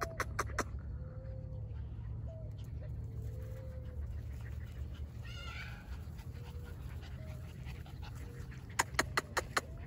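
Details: Border Collie puppies, 49 days old, filmed 7 June 2022: thin, high drawn-out whines repeated at intervals over a steady low hum, with a person calling softly.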